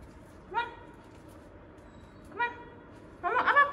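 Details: Samoyed being given a bath, letting out three short harmonic whining yelps, the first two brief near the start and middle, the last longer and more strained with a wavering pitch, against quiet background hiss.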